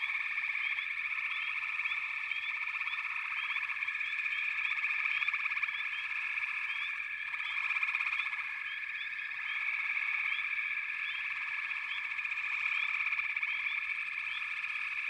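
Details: Mass of calling frogs in backwater, steady pulsing trill overlaid by bursts of short upswept chirps that cluster and fade, with a brief swell in volume midway.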